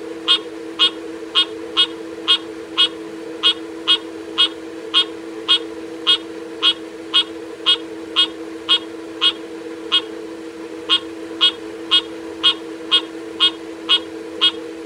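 A frog repeats a short, nasal, clucking call about twice a second over a steady low hum.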